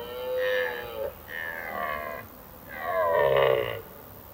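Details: During the autumn rut, which starts in mid-September, a red deer stag gives three drawn-out, hoarse, rising-and-falling bellows in quick succession, calls made in evening forests to attract females and deter rival males.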